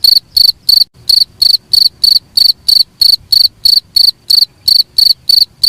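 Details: Cricket chirps meant for training songbirds: bright, rasping high-pitched pulses repeated at an even pace, about sixteen over six seconds, one short pause early on, nothing else audible.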